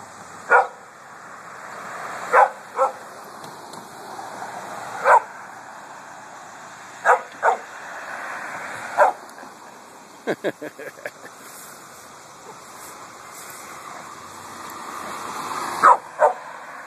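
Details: Domestic dog barking at passing cars and trucks during a hot August walk in a cemetery; sharp single barks spaced a few seconds apart, a quick burst of short yips midway, and a steady high insect hum throughout.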